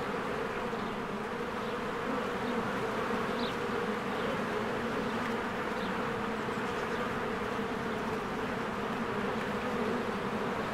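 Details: Continuous droning of many bees flying around a beehive in springtime, a thick unbroken buzz with a few brief, quiet bird notes overhead.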